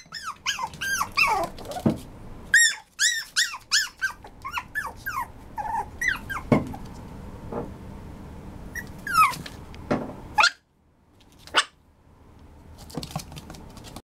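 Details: Maltipoo, a Maltese and toy poodle mix, giving rapid high whines and yelps in tight bursts through the first seconds, then scattered single yelps separated by pauses, with a short silent gap near the end.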